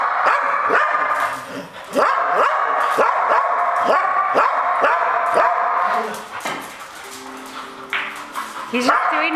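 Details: Border Collie named Dash, playing pool with people and trying to block shots, barking non-stop: a rapid, fairly regular run of sharp barks, about three or four a second for six seconds, then softer drawn-out tones, with voices and applause.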